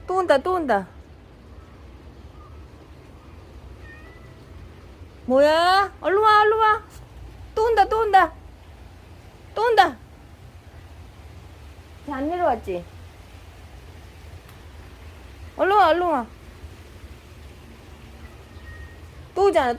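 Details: Momo, a yard cat in Laos, fighting to defend territory during the rainy season: loud drawn-out wavering yowls in bursts, quavering up and down, separated by pauses, with a low background rumble.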